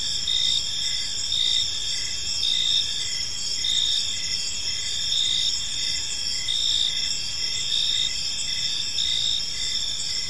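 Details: Evening park crickets form a dense, continuous high-pitched chorus; short rhythmic pulses tick along beneath sustained shrill trills, with gentle swells in volume and soft low-frequency noise behind.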